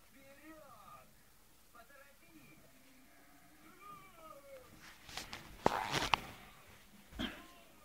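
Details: Two-month-old Scottish Terrier puppies whimpering indoors: thin, squeaky whines that bend up and down in short wavering cries through the first five seconds, then louder clattering knocks and thumps near the end.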